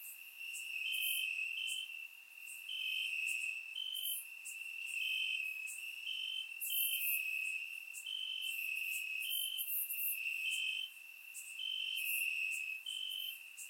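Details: Night chorus of crickets in Bulgarian grass on a warm summer evening, surround-recorded; continuous shrill trill with evenly spaced brighter pulses stepping slightly up and down, other high insects faintly sizzling above.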